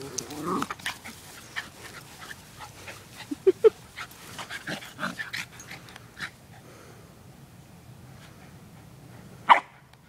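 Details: Female wire fox terrier in rough play with her male foster brother, the two dogs taking turns chasing; sharp short barks near the middle and one loud yelp-like bark near the end, over scuffling paws and rustling.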